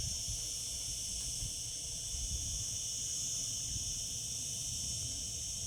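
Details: Cicadas singing in summer: a steady, unbroken shrill hiss, high-pitched and dense, holding the same level throughout, with a faint low rumble beneath.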